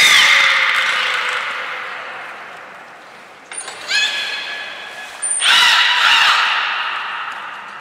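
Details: At Nagoya Port Aquarium on 14 March 2021, belugas Hodoi, Taanya and Mirai move pools and train. Harsh harmonic squeals open and close the clip, with short stacked chirps and high pure tones between them in a reverberant room.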